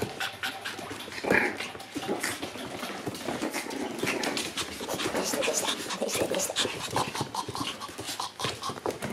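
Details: Two-month-old Shiba Inu puppies playing roughly, with busy panting, scuffling and clicking noises and one short higher yelp near the start.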